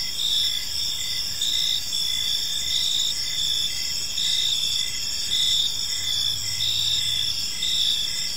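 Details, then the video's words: Crickets chirping on an evening in a park: steady high-pitched trilling bands layered with pulsed chirps repeating about every second, forming a dense continuous insect chorus with faint low rumble beneath. "Cricket Sounds in a Peaceful Park"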